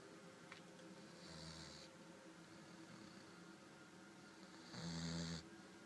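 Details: Pet dog named Lucky snoring while asleep indoors, said to sleep like a human: two rasping, breathy snores about three and a half seconds apart, each with a low rumble and a hissing exhale, over a quiet room hum.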